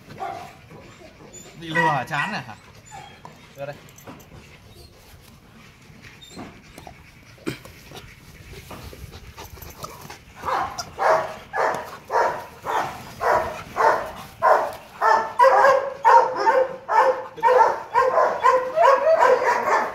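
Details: Male Rottweiler named Loki, nearly two and a half years old, at Gervi Kennel during play: quiet opening with scattered knocks and brief noises, then a steady run of loud barks about two per second through the second half, with human voices mixed in.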